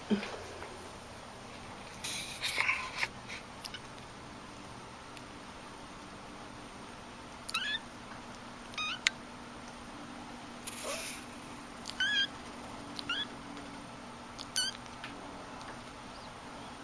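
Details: Domestic cats meowing indoors: a series of short, bent, harmonic meows repeated at irregular intervals of one to three seconds, with a few brief rustling bursts between calls over a steady background hum.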